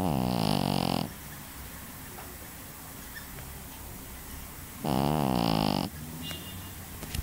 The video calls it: snoring dog - 2 - pekingese